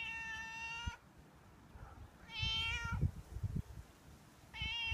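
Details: Stray outdoor tomcat begging for milk at the door, his daily habit; three loud, steady harmonic meows separated by short pauses, with soft knocks and low rumbling noises in between.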